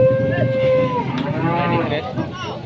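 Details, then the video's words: Huge Pegon bull, enraged, in Indonesia: a single steady, drawn-out tonal moo held for about a second before breaking off into a lower rumble, amid voices and crowd noise. "SAPI PEGON RAKSASA NGAMUK"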